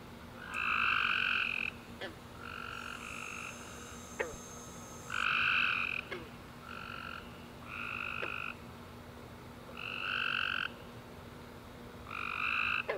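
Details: Tree frogs chorusing at night after a warm rainy summer day: overlapping bursts of buzzy, nasal chirps, each lasting about a second and coming several times a minute, with a steady low hum and faint clicks beneath.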